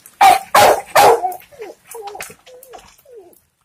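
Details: A 9-month-old Rottweiler gives three loud, deep barks, then trails off into softer whining yelps.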